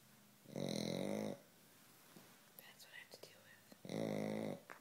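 A sleeping Pekingese snores in loud, raspy, rumbling breaths, roughly three seconds apart.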